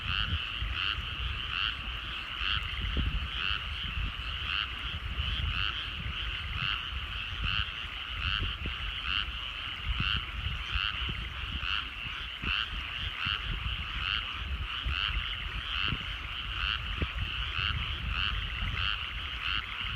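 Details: Evening frog chorus from rice paddies at sunset in rural countryside: many frogs give rapid, pulsing croaks in a steady rhythm, overlapping into a continuous throb over faint low background rumble.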